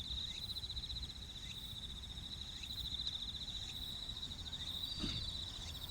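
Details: At Kinokawa Service Area in Wakayama, Japan, bell crickets keep up a bright, rapidly pulsed high trill without pause, with faint low traffic noise and a soft thud near the end.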